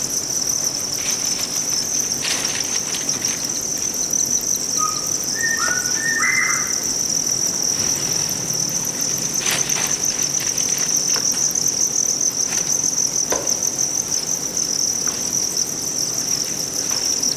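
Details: A Thai cricket chorus on a farm in Vietnam keeps up a constant piercing trill. Several short bird chirps rise briefly in the middle, along with occasional clatter and rustling.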